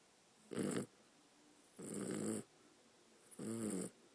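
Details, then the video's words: A pet dog snoring: three rough, broadband breaths, each about half a second long, with a throaty rattle low down and a hissy upper edge, spaced more than a second apart in a quiet room. "snoring dog"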